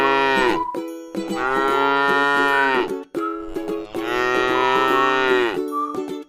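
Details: Two long, sustained moos from a tame cow at rest in a rice paddy field, each nearly two seconds, full and tonal with a slight rise at the onset, over steady background string music.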